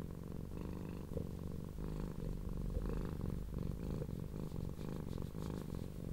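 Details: Loud, deep purring from leGrey, a little blue and cream tortoiseshell cat being stroked, who rolls over to show her fluffy tummy; a continuous throaty rumble pulsing with each inhale and exhale, with light rustling.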